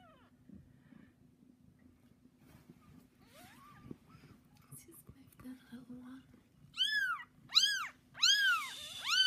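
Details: Bengal cat mother with her 3-day-old kittens; after several seconds of faint rustling and soft sounds, a run of four loud, arched, rising-then-falling meows arrives in quick succession near the end.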